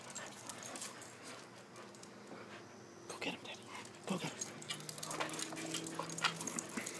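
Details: Two Pit Bulls, aged three and four, and a ten-year-old Wheaton Terrier playing on and around a pool cover in a back yard; low drawn-out growling whines among scuffling, splashing rustle, and a person calling out.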